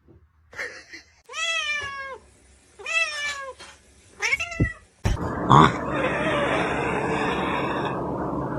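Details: Cat, a poor little baby in the owner's words, giving four drawn-out, wavering meows about a second apart, each slightly falling, then loud rustling and handling noise.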